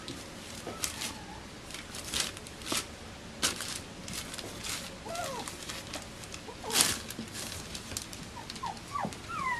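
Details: Faint squeaks from Bichon Frisé puppies of litters O and P at a kennel in Denmark: short rising and falling whimpers scattered among clicks, scuffling and shuffling sounds, with a cluster of squeals near the end.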